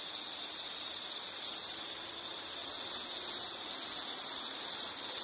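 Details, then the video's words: Insects, likely crickets, in a relaxing nature soundscape: a steady high-pitched trill holds on one tone with a fine rapid pulse, swelling slightly after the first second, over faint hiss. "Nature Sound of nature sounds scenery L · insect"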